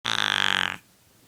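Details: Snuffles, a sleeping female cat born feral, whose nasal scar tissue from a kitten respiratory illness makes her snort and snuffle, gives one rattling, rapidly pulsed snore lasting under a second, then the room falls quiet.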